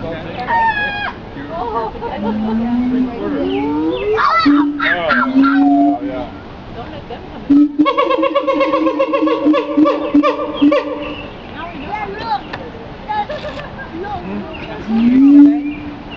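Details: Siamang vocalizing: rising swooping hoots, then a rapid run of steady repeated tonal barks around the middle, ending with another upward-sliding loud hoot; other voices and calls mix in throughout.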